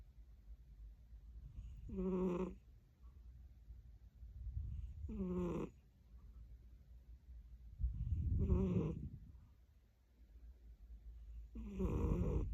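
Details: A tired British Shorthair cat snores in four buzzy, harmonic-rich bursts about every three seconds, each one swelling and fading, with a soft low rumble of breathing between them.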